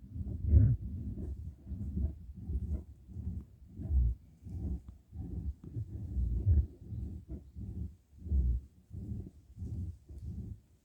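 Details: Badger in a fight, giving low, harsh rhythmic grunts and growls, each a short throaty burst, repeated about once a second through the whole stretch with no other clear sounds.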